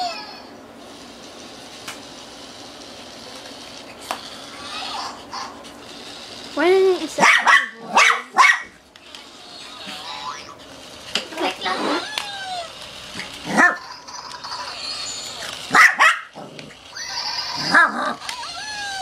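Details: Sha sha, a female Shih Tzu, barks at a toy she is scared of while playing. Human talking runs throughout, broken by scattered sharp yaps and short clusters of high barks.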